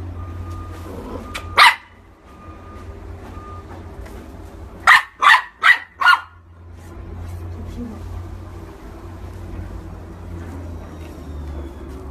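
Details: Corgi giving sharp, clipped barks: a single yap early, then a rapid run of four barks about three per second, mid-pitched and loud, with a low steady hum and faint voices in the background.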